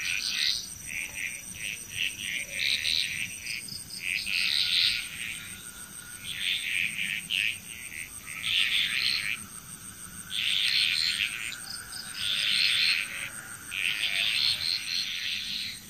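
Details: Bali, Indonesia frog chorus: bursts of fast, rattling pulsed calls about every two seconds, roughly eight bouts with short gaps between them. A steady high insect whine sits behind.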